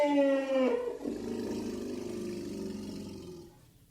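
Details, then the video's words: Elephant roaring and growling: a loud, tonal, harmonic blast lasting under a second that drops slightly in pitch, then a lower, rough rumbling growl that fades out over about three seconds. "Elephant Roars And Growls"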